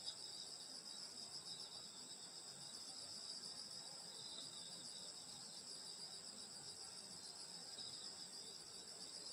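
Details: Insects chirring through a summer night in the Korean countryside by a grandmother's home, a thick unbroken wall of high trilling from many callers at once.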